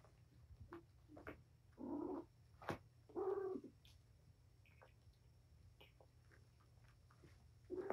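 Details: Mother cat Patience, wound up and playing with her litter of five kittens indoors on 7-25, gives two short mews close together, then faint scuffles and clicks, with another mew at the end.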